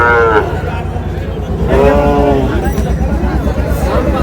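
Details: Sahiwal bull at a crowded livestock market near Dhaka: two brief bellowing moos, one opening and another after about a second and a half, layered over low engine hum and haggling voices.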